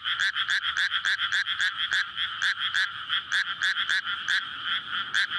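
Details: Frogs calling for courtship at night in a water-filled rice paddy in May, near houses; loud croaks in quick irregular bursts, several callers overlapping, some notes standing out sharply above the steady chorus.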